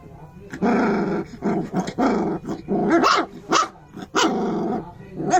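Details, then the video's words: Angry puppy giving drawn-out, raspy growling barks, almost continuous over five seconds, with short gaps between the rough, throaty bursts. "barking puppy"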